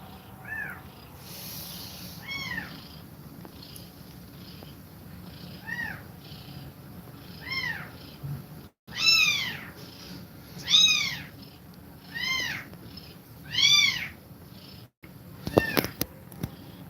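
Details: Mother cat nursing her kittens, breathing fast while feeding them milk; a run of high, arched mews repeats every second or two, about nine in all, ending in a few sharp clicks.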